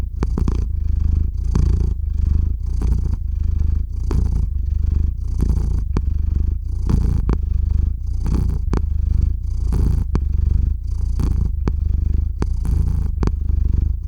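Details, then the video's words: Cat called Theo falling asleep while purring on a RODE NTG-3 microphone, recorded with a ZOOM H6; a loud, even low-pitched purr pulsing with each breath about once per second, with faint clicks. "Кот мурлычет на микрофон и засыпает/The cat purrs on the microphone and falls asleep"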